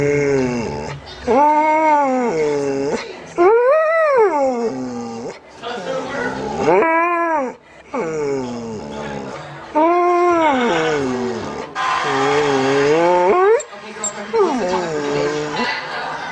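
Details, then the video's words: Pet dog 'talking' back to its owner indoors: a series of arching, yodel-like howls, each rising and falling, repeated several times with short pauses, mixed with human speech and faint music. "Funny dogs talking to owners"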